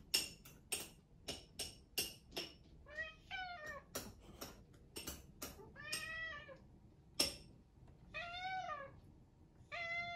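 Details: An adopted rescue British Shorthair cat gives repeated rising-then-falling meows, each a rich harmonic cry, asking for breakfast. Sharp clicks and taps like household clatter come between the calls.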